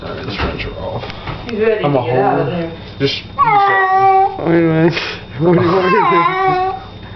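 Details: Cat complaining during a bath, its wavering, drawn-out meows repeated three times alongside a woman's talking and splashing noises.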